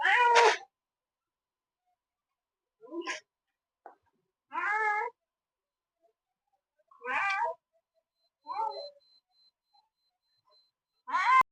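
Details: Village cat that wants to eat bread meows repeatedly: six short, strained meows spaced roughly two seconds apart, with quiet gaps between. A person chats to it.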